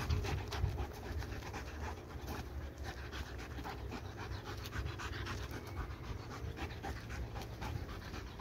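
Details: Restless pet dog, described as bursting with energy that cannot be worn off, panting quickly and steadily in rapid breathy puffs, soft noisy bursts repeating close together with low indoor hum underneath.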